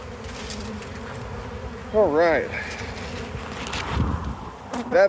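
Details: Hive harvest, honey bees keeping up a constant low drone while a person briefly exclaims twice over the buzzing.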